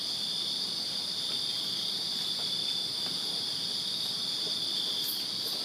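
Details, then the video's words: Many crickets trill together in a Virginia backyard on a summer night, an even, high, pulsing buzz that never stops, with two short faint high clicks near the end. "Crickets Chirping Summer Night in Virginia"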